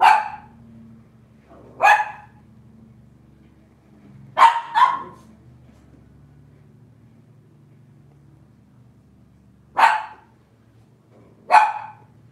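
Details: Robin's Cavalier King Charles Spaniel puppies on a Wednesday morning in the kitchen: six short, sharp barks, irregular, two of them close together and the rest spaced several seconds apart, over a faint constant low hum.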